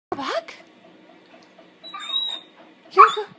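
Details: Old English Sheepdog puppy talking indoors: a short rising yelp opens, then quiet before a faint thin high whine around the middle, ending in a brief throaty bark-like grunt; a person then asks about going for a walk.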